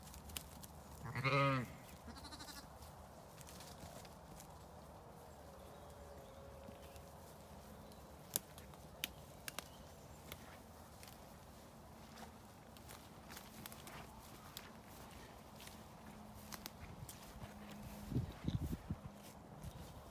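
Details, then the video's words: Lambs let out to play on a sunny day on a regenerative farm in County Kilkenny, Ireland; one short wavering bleat near the start, then quiet pasture with faint rustles and soft thumps. "Lambs let out to play"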